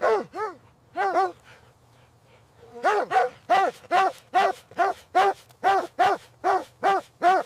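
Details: Puppies and their mother dog playing happily in fresh winter snow; two pairs of bright, yelping barks, a short pause, then a steady run of about a dozen sharp barks spaced roughly every third of a second.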